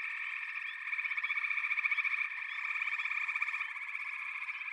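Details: Many frogs trilling together in a steady, rapidly pulsing chorus, individual rattling calls swelling and fading within a constant high hum.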